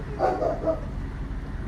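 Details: A dog about 10 to 15 feet away gives a few quick, mid-pitched barks over steady background hum during a late-night walk in Los Angeles, ignored by a dog in training.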